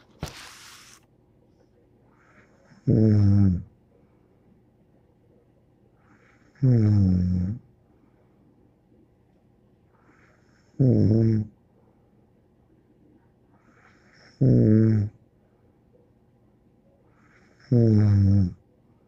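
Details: Bear, a pet dog, snoring indoors: five deep, harmonic, rasping snores, each under a second long, about every three and a half to four seconds, with quiet breathing between and a brief noise burst at the start.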